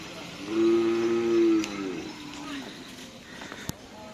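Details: Cattle of the Karapan Sapi bull-racing team Lanyala 99 during race training at the Asemanis field in Pamekasan. One low, drawn-out moo lasts just over a second, holding a steady pitch before fading. Faint background rumble and a sharp click follow near the end.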